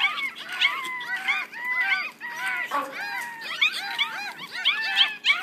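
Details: Squeaky, bending whines from one-week-old Yorkshire Terrier puppies, six in the litter, pour out in rapid overlapping strings, some calls swooping down in pitch, others short and chirpy.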